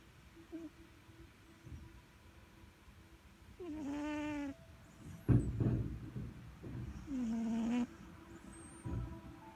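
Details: Pet cat named Sugar asleep and snoring, two drawn-out buzzy snores about three seconds apart, with a few soft thumps and rustles between them in an otherwise quiet room.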